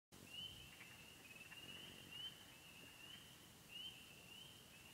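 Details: Frog chorus at the remote Bentley Ponds, Yellow Dog Plains, Upper Michigan, where wood frogs, spring peepers, green frogs, gray tree frogs and toads were recorded; a dense, high-pitched steady trill with sharp upslurred peeps standing out over it.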